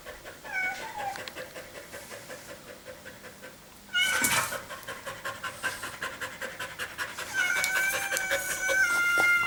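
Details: Dog breathing hard after a run in summer heat on 21.4.2016. Soft, quiet panting gives way to a loud burst, then rapid breathy huffs at about 160 per minute, with faint tonal chirps overhead.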